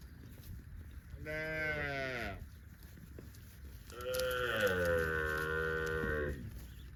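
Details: Cows roaming in the fields produce two moos: a first call of about a second that falls in pitch, then a longer, louder moo lasting over two seconds with strong, bright harmonics.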